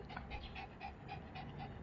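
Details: Shih Tzu, female, playing basketball in a home garden; rapid, rhythmic panting with about four breath bursts per second, steady and soft throughout.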